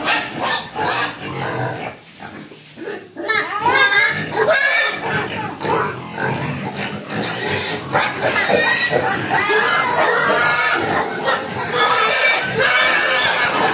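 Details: Hungry domestic pig crying and begging for food: rapid, harsh, harmonic squeals that rise and waver, running almost continuously in dense overlapping bursts.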